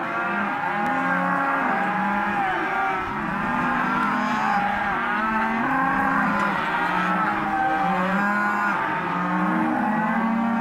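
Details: Auction lot of Hereford and black-faced crossbred calves, a herd bawling together: many overlapping long moos, level or gently arched, layered into a steady unbroken din over ten seconds.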